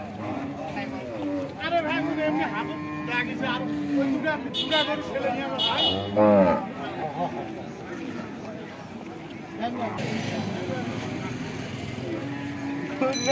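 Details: Cattle, a bull being unloaded from a small truck for Eid in 2022: a long, low, drawn-out moo with stacked harmonics, then a shorter wavering call mid-way, over shouting people and vehicle noise.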